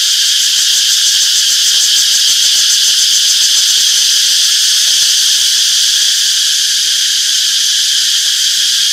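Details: Cicadas in a peaceful summer forest: a dense chorus makes an unbroken, shrill buzzing at one high pitch, with faint pulsing ripples through the drone and no other sounds; finding: cicada.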